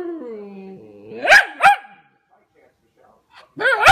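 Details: A Pomsky pup "talks" in a sliding, yodel-like whine that dips low, then rises into two sharp, rising yelps. After a short silence it gives another wavering, howling vocalisation.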